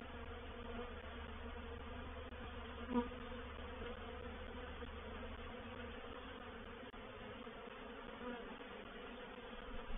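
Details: Reproductive swarm of honey bees moving into a bait hive (swarm trap) at Painted Peacock Manor, dated 04/07/21: a steady, droning hum with layered tones, unbroken throughout, one brief faint tick near the start.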